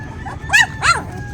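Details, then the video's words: Hungry puppies of Zoey, described as getting upset, giving two sharp arched yelps about a third of a second apart over a faint indoor hum. "Umiiyak na ang mga puppies mo, Zoey, gutom na sila"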